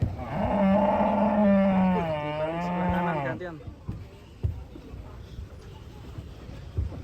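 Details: A very large cow being loaded onto a truck gives one long, loud, drawn-out moo that holds steady, then wavers and falls away after about three seconds, followed by clatter and background noise.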